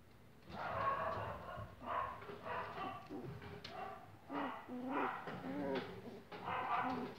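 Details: English Cocker Spaniel puppies, 25 days old, indoors; repeated whiny yelps and whimpers in bursts about every second, some rising and falling tones, with soft background noise.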